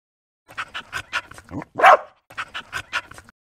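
A dog gives a run of short yapping barks around one louder, harsher bark.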